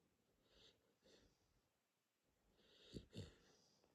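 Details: A sleeping Corgi snores softly: faint breathy rasps come roughly every half second, then a pause, then two sharper snorting breaths close together near the end, in a quiet indoor setting.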